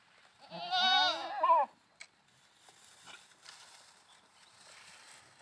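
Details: Goat at play giving one loud, wavering bleat about a second long with a shaky, quavering tone, followed by near quiet with a faint click and soft background rustling.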